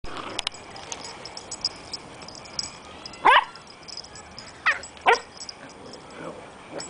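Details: Two puppies, Riley the Beagle and Chloe the Jack Russell, at play: three sharp yapping barks, one alone and then a quick pair about a second and a half later, over a faint rustling background.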